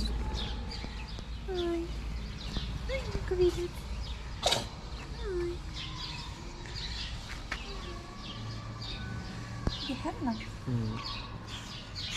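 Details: Homeless street cats in Morocco, fed daily, meowing for food and affection; several short rising-falling meows scattered through, with bird chirps, outdoor ambient noise and a sharp knock.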